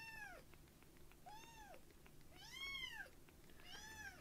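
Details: Light-brown rescued foster kitten Uchan, just fed milk and perched on a hand, gives four bright, arching mews spaced about a second apart, the third louder and longest, in a quiet room.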